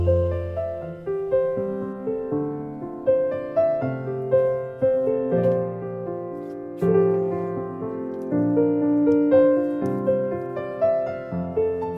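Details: A steady piano melody with gentle chords plays throughout, with no animal sound.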